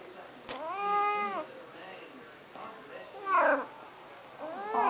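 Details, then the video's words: Snuggles, a female pet cat, angry and trying to get out after a bath: several loud meows, first a long one that bends upward, then shorter rising and falling cries, with a woman talking between them. "Talking Cat"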